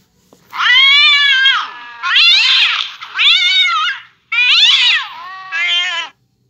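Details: Cat yowling in the setting of a cat reacting to hearing a cat fight: five loud, drawn-out, wavering howls, each about a second long with short silent gaps, rich and nasal with bending pitch.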